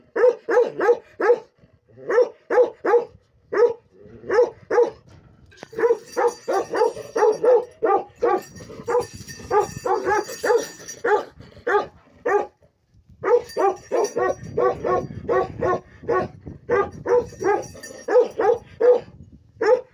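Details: Big lion-head Bakarwal dog of pure line barking almost continuously, deep resonant woofs in rapid runs with brief gaps, a faint high hiss behind in places.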